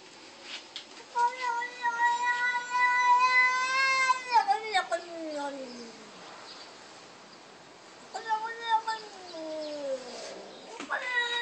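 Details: Female cat yelling at her human to be let inside: long drawn-out meows, steady then sliding downward, two main cries separated by a pause, with clicks and short chirps at the edges.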